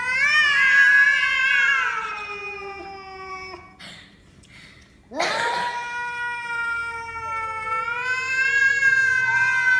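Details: Domestic cat giving long drawn-out harmonic meows, two extended yowls that hold steady then fall, separated by a short quiet gap with a brief rustle.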